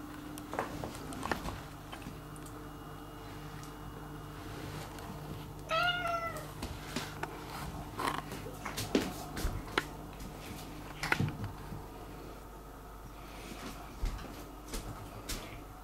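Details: Domestic cat indoors, complaining about something and seeking affection; a single short, slightly wavering meow near the six-second mark, otherwise a quiet room with scattered clicks, taps and soft thumps.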